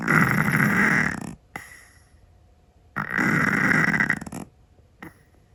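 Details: Loud snoring from a sleeping Scottish Fold cat indoors: two long, rasping, throaty snores of over a second each, about three seconds apart, with brief soft breaths after each.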